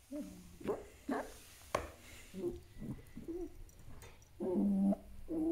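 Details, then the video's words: Djinn, a pet fox, being grumpy and making angry sounds indoors: a run of short, whiny, harmonic yelps, roughly nine in under six seconds, ending with a longer, drawn-out nasal whine. "Top 5 Angry Fox Sounds | Grumpy Compilation"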